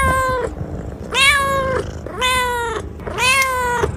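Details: Kitten meowing in four drawn-out, even, nasal meows about one second apart, each level then dropping at the end, over low background rumble.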